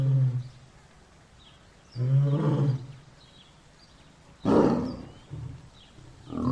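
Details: Mating lion and lioness: low rumbling growls broken by a sudden loud snarling roar burst, with softer grunts following at irregular intervals.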